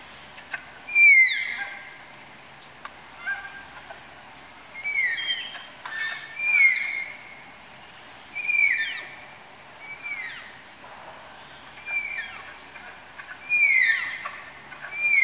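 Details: At Tama Zoological Park's Malayan tapir house, tapirs being paired give a run of about eight thin, downward-sliding whistled squeals, spaced roughly every one and a half to two seconds, over a quiet background.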